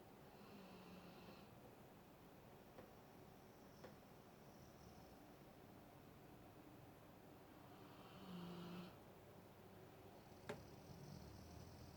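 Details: Alaskan Malamute snoring quietly indoors, low rumbling breaths with two louder, breathy snores near the start and toward the end, plus a couple of faint clicks in a small room.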